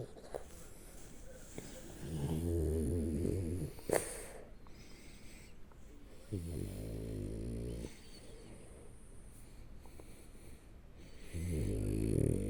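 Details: Shturm, a French Bulldog asleep on its back, snores loudly: long rattling, buzzy snores around the second to fourth seconds, again near six to eight, and at the end, separated by quieter wheezy breaths.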